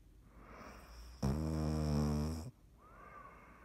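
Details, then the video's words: Dottie, a sleeping pet cat, recorded on 17 March 2019: quiet breathing, then a single long, low, buzzing snore with a rich rumbling tone lasting over a second, followed by softer breaths and a faint thin whistle. "Dottie snoring"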